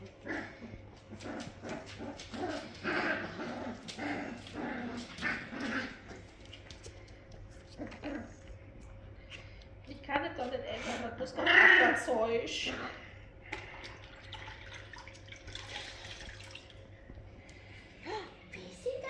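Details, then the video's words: Labrador puppies being washed whimper and squeal in a busy, overlapping stream of thin calls, with a louder cluster of squeaks midway, then quieter scattered whines. "Die Labrador Welpen brauchen eine Wäsche. Einmal Vollwäsche für die Kleinen"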